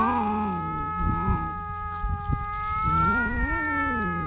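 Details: Yowling duel between stray cats on a cat island in Japan, squabbling over a fish, recorded with a GoPro HERO8: continuous, low, moaning growl-yowl that rises and falls slowly, with faint rustling underneath.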